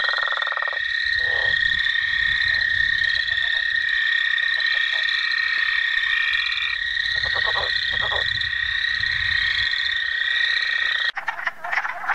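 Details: Frogs and toads calling at night, a continuous ringing trill chorus with bursts of pulsed croaks over it, ending with a sudden break in the sound near the close.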